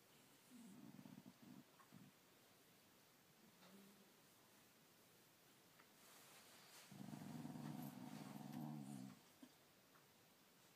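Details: Dog giving a short, deep, buzzy growl, a brief faint grumble, then a longer, stronger rumbling growl of about two seconds before going quiet.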